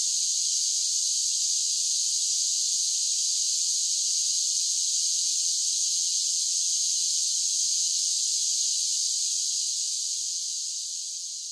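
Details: A wall of high buzzing from summer cicadas runs without pause, bright and hiss-like, with a faint low murmur underneath and a gentle fade in volume over the final seconds.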